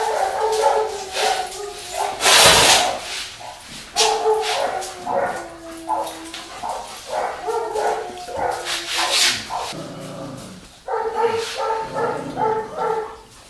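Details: Labrador mix named Bristol whimpering through a cat test, 14 September 2019: repeated nasal, harmonic whines, some wavering and some steady, broken by a sharp noisy burst and pauses.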